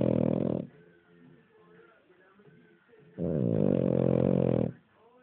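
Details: Sleeping King Charles Spaniel snoring indoors: two long, loud, rasping low snores, each lasting over a second, separated by a quieter stretch of soft breathing.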